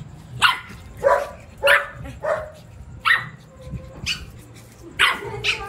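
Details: Small Shih Tzu dog barking in a mock attack: sharp yappy barks repeated roughly every half second to second, fairly even in loudness, with a faint low background hum.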